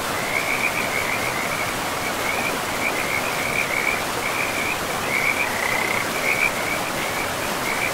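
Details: Frogs by a forest river produce a steady run of high, rattling trill bursts, many overlapping callers, all set against a loud, continuous wash of flowing water.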